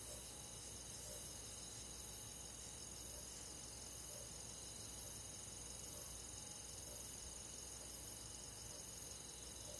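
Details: Crickets and other insects of the forest on a summer night in the countryside: a soft, unbroken high trilling chorus in several stacked pitch bands, steady and without pauses, with a faint low hiss beneath.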